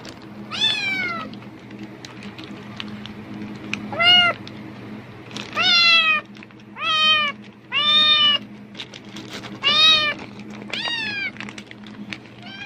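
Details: A pet cat answering the crackle of a plastic bag, seemingly expecting food, with a series of about eight short, clear, arched meows, some sharply downward-sliding, spaced a second or so apart over a low electrical hum.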